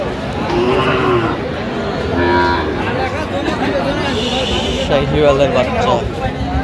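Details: Sahiwal bull calves at a busy cattle market in Cox's Bazar, Bangladesh, on 8 November 2025. Drawn-out, low mooing rises out of the crowd. Bargaining voices and market chatter run throughout.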